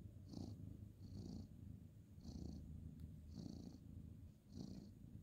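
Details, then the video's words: Male ginger tabby cat purring while being petted on a bed at bedtime, indoors, 2/11/2023; low steady rumble swelling with each breath roughly once a second, with a soft breathy hiss on every cycle. "cute ginger tabby cat petting purring"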